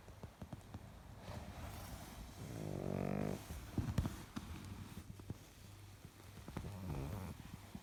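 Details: A sleeping Pekingese snores on cushions, with low, rumbling breaths and one louder, droning snort in the middle.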